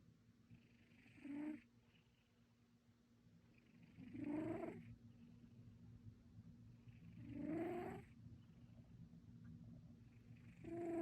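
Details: Domestic cat snoring while asleep: slow breathy snores with a tonal rising edge, about every three to four seconds, separated by quiet low hum.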